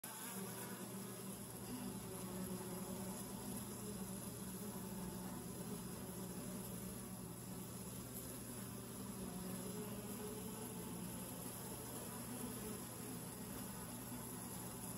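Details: Honey bees at a hive entrance tube, recorded close up: a dense, steady low hum of many wings that does not pause, with a constant droning tone under it throughout.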